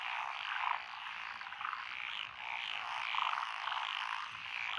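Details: Frog chorus from lotus rice paddies beside a country road in Echizen, Fukui, Japan, 12 June 2021, with Japanese tree frogs, black-spotted pond frogs, wrinkled frogs, Schlegel's green tree frogs and forest green tree frogs: dense overlapping croaking, steady wall of trills.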